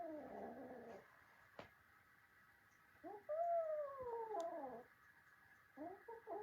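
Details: Indoor cat fight between a kitten and its grown brothers: a wavering growl first, then after a pause a loud drawn-out yowl sliding slowly downward, followed by short broken moans.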